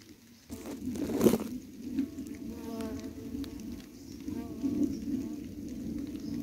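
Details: Bumblebees, about 40 of them, foraging daily over recent weeks on a patch of wild flowers grown from a supermarket box; a low steady hum with stacked overtones wavers in pitch, after a sharp clatter early on, with faint outdoor background.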